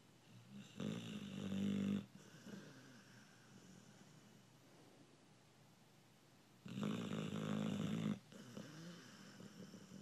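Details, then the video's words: Sleeping American Bulldog snoring indoors: two long rough rumbling inhalation snores about six seconds apart, each roughly a second long, with quiet breathing between. "Snoring dog"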